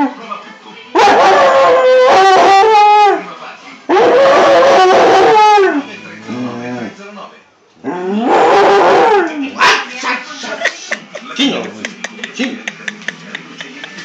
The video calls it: Basenji che si lamenta